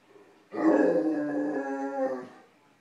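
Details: Great Dane puppy, nine months old, vocalising at dinner left on a cold stove: one sustained, rich harmonic moaning howl lasting about two seconds, fairly steady with a slight lift before fading out.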